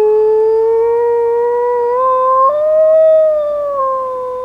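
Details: Long sustained howl from a black wolfdog out in an urban blizzard, the pure tone slowly rising in pitch, stepping up midway, then gently falling toward the end, with no other clear sounds.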